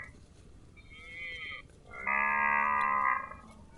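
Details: Cow calling while grazing: a faint, higher nasal note, then a full, steady harmonic moo lasting about a second, over low background noise.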